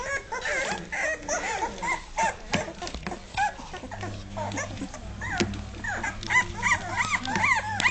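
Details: Dogue de Bordeaux puppies aged two and a half weeks, top-heavy and just finding their feet; a busy chorus of overlapping squeaky whines and yelps, many short bursts, plus a faint low hum.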